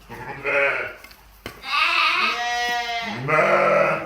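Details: Twin lamb sisters at a sheep farm in Ishikari, Hokkaido, Japan, bleating: three wavering, harmonic-rich bleats, the middle one long and quavering, separated by short gaps, with a faint click between.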